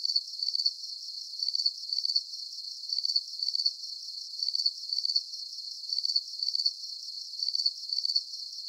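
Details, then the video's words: Relaxing night sound of crickets: high, ringing chirps delivered in paired pulse bursts at a steady, even rhythm across the whole stretch, over a faint airy background and no voices or music. "Calming Cricket Sounds"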